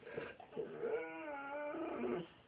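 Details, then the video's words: Pet dog singing its potty song, a sustained harmonic howl-like whine with steady pitch held for about a second, between owners' repeated questions about going potty. "singing to us asking if he has to go potty"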